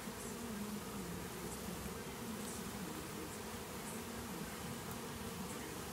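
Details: Many honey bees from a hive being cut out of an old hot water tank during a rescue buzz together in a dense, steady low hum.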